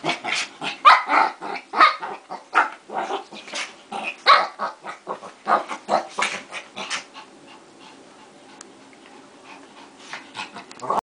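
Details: Two dogs fighting: a dense, rapid barrage of rough growling barks and snarls in overlapping bursts, several per second for about seven seconds, then easing into lower, scattered grumbling growls.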